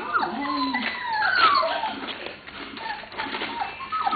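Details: Lola's 27-day-old puppies at play make thin, sliding whimpers and a sharp rising squeal, rapid and uneven, while a children's television programme chatters behind them.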